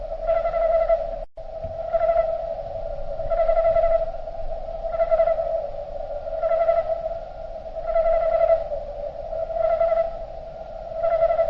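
Slowed cricket chirps merge into a steady, choir-like drone that swells roughly every second and a half.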